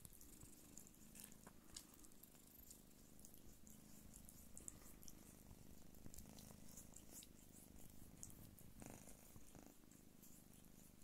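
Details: A Don Sphynx mother cat purrs steadily while nursing her kittens, a low continuous rumble with faint soft rustling behind it.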